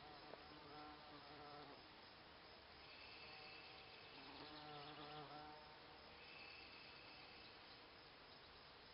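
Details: Several bees buzz around Solomon's Seal in cabin flower beds, a continuous droning hum with layered tones rising and falling as insects fly nearer and away, some higher whining passes.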